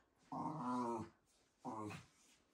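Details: Shiba Inu indoors, shut behind a fence at a workplace, whining toward visitors as a meeting starts, as if joining in. Two drawn-out nasal whines, the first about three-quarters of a second, the second shorter, in a quiet room.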